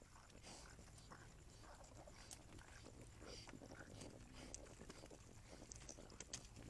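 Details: Javelinas, six adults with five newborn reds, visit desert critter ponds just before midnight, digging and stirring up dust. Quiet scattered clicks and short soft grunts rise over a low rumble, with a faint steady high tone throughout.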